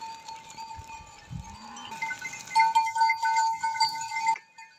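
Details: A herd of goats heading home across desert sand dunes after grazing; one short, low, rising bleat near the start, over a steady tonal hum, with louder clattering and rustling in the second half.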